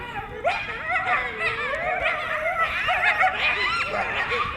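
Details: Several coyotes in a pack near Burbank, California, heard more distantly: overlapping warbling yips and short wavering howls form a continuous chorus over low background noise.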